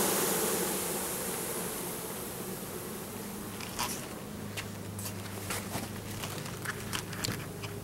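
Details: A colony of 10,000 Russian/Carniolan hybrid honey bees with one queen, installed into a new hive in April 2012; a low droning buzz that starts with a loud hiss, then continues under scattered clicks and knocks.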